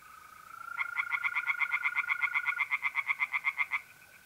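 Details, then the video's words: Night chorus of tree frogs at a pond in North-East Italy in mid-April. A rapid, even series of pulsed croaks lasts about three seconds. A mole cricket's level, unbroken trill runs beneath and continues after the frogs stop. "singing tree frogs in pond"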